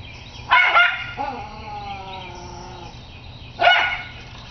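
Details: Schnauzer confronting a squirrel gives a harsh bark, then a drawn-out whine sliding gently downward, and a second sharp bark about three seconds after the first.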